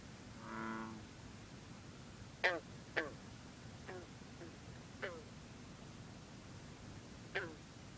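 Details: Green frog (bronze frog) calling at night beside misty water on a cool, humid evening. Six short, twangy, plucked notes come every second or two, following one long, low, droning note from a bullfrog early on.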